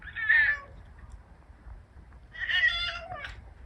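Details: Odeuli, a pet cat with a hoarse voice after tooth extraction surgery, meows twice indoors: a brief rough note, a pause, then a longer raspy meow ending in a short rising chirp.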